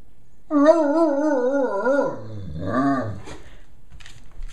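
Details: Female Great Dane howling, a wavering, warbling tone held for about one and a half seconds, then dropping into a lower groaning moan before trailing off into faint snuffles.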